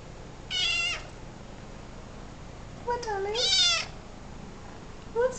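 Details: Three-month-old kitten at play gives two loud, high, harmonic meows, the second longer and arching up then down, followed by a short clipped meow at the end; faint room hum and a person speaking briefly.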